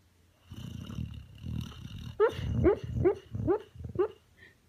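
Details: A sleeping Boxer dog named Maximus snores in a run of rough low breaths, each ending in a rising nasal whine. About five snores come roughly every half second to second, with faint background hum.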